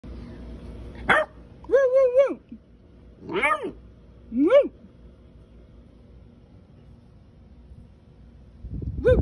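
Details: Basset Hound. A young Basset Hound barks in short, musical bursts that rise and fall like little howls, several in quick succession. The barks are high and clear, and a person's voice may be mixed in.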